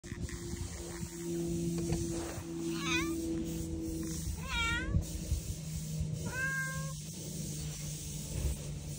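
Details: Island cat on Aoshima, Japan's cat island, walking up to a bench while meowing, recorded 30 April 2024. Three rising-falling, wavering meows at roughly two-second gaps, the last one longer and steadier, over a low steady hum.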